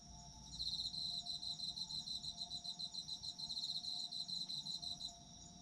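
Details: Chorus of autumn insects meant for relaxing sleep. Shrill, fast-pulsed chirps rise in after half a second, keep an even throbbing rhythm and fade near the end, over a faint steady low tone.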